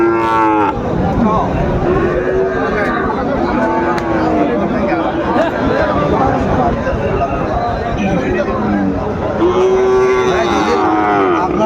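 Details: Sahiwal cattle at a crowded cattle market in Chattogram, Bangladesh, on 17 March 2025, where Sahiwal bull calves are on sale. Two drawn-out, harmonic lowing moos, one at the start and one near the end, over constant bargaining voices and crowd chatter.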